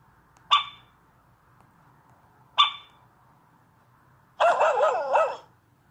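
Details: Dachshund puppy playing with a tablet gives two short, sharp yips about two seconds apart, then a longer wavering, whining howl lasting about a second; quiet indoor background.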